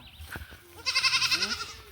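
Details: Goat in a Bangladeshi village scene about a goat theft, giving a wavering, nasal bleat in the second half while people talk and laugh nearby.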